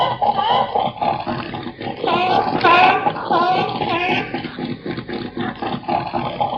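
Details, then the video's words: Seal calling in a dense run of harsh, barking and roaring calls with rich harmonics, rising and falling, stacked closely through the whole stretch with barely a pause; repeated grunting pulses underneath. "SONIDO DE FOCA"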